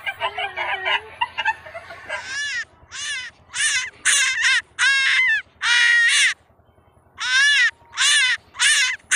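A rabbit gives a run of loud, shrill, harsh screams, each about half a second long.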